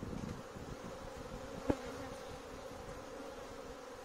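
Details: Swarm of bees that has invaded a courtyard, before a beekeeper is called in: a dense, steady droning hum with a mid-pitched band, one sharp click partway through, no other animals audible.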